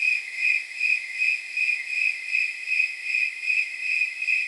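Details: Snowy tree crickets chirping through a warm night of about 79 degrees, as estimated from their rate: bright, jingle-bell-like pulses evenly spaced, around two and a half per second, over a sustained high ringing tone.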